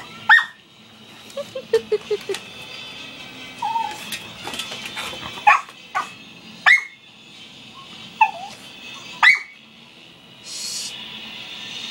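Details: Miniature schnauzer kept as a pet, crying to be allowed up on the bed: a run of short high yelping whimpers, then brief sharp squeals recurring every second or two, in a small indoor room.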